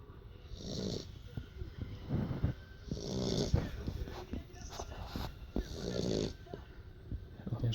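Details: A female Beagle sleeping indoors after play snores in rough, low rasping breaths about every one to two seconds, each breath swelling and fading, with faint room hiss between them.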